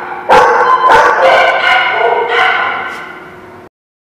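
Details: Dog barking loudly: two sharp barks in quick succession followed by a longer, drawn-out howling bark that fades before cutting off abruptly.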